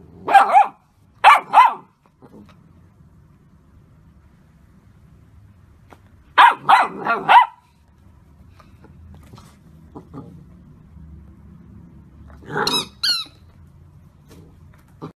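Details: Golden Retriever puppy barking in spaced bursts: a pair of sharp yaps, a tight run of three or four barks several seconds later, then two higher squeaky barks near the end, with quiet gaps between.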